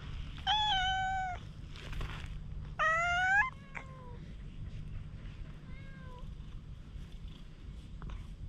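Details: Wary stray cat during a grooming session with a cat brush, GoPro recording. Two loud, clear meows close together open the sequence, followed by softer, fainter mews and some rustling, over a low steady hum.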